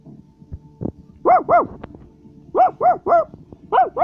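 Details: {'caption': 'Basset Hound barking: loud, arched, harmonic barks in quick clusters of two to three, separated by short pauses, with a few faint clicks and knocks in between.'}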